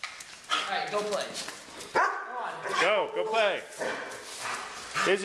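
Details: Pet dogs described as attacking a person with a broken foot give sharp yips and short, rising-falling whining barks in quick bursts, while a woman speaks to them throughout.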